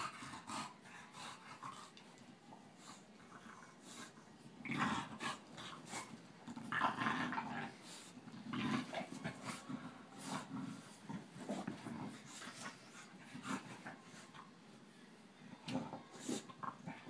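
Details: Boston terrier and bulldog Tinker Bell and Lala playing, giving rumbling growls and heavy panting breaths, with scuffling clicks throughout and louder bursts around the middle.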